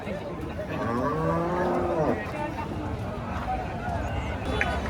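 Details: Hallikar cattle at a busy T. Narasipura cattle market, 10 August 2026: a drawn-out, slightly wavering low moo of about one and a half seconds, half buried under constant chatter and bargaining voices of traders.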